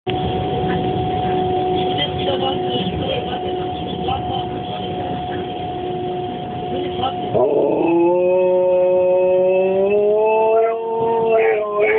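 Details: Labrador dog howling along to the starting noise of an S-Bahn train: a steady electric whine fills the first seven seconds, then a long, tonal howl breaks in and climbs gradually higher over the train sound.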